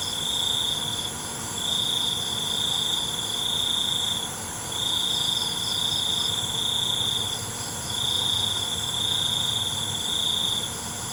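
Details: A night cricket chorus. A high, pure trill sounds in bursts of one to two seconds, broken by brief pauses, about nineteen times a minute, above a constant whining layer of many more distant insects.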